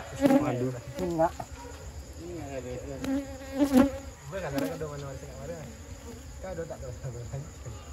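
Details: Honey bees buzzing as villagers take honey from their nest, an amateur harvest; a wavering hum that rises and falls in short surges, with scattered knocks and handling noise.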